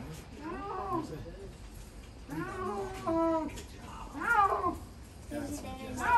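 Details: A snow leopard (Panthera uncia) groans in a series of drawn-out, meowing calls that rise and fall in pitch.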